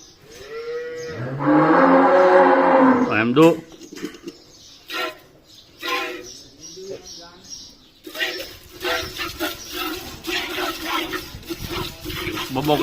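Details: Cattle, a cow, giving a long harmonic moo of about two seconds that rises then falls, followed by voices and scattered clatter with shorter broken sounds.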